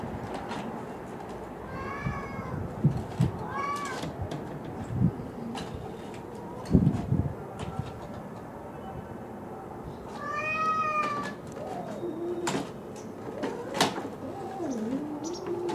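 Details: Feral cats meeting at mealtime by an abandoned house on 10 March 2016, at the end of winter: kittens Tutu and Dunggeuri and the gentle neighbourhood boss cat Mijun. Three clear harmonic meows, rising then falling, come several seconds apart over faint background rustling.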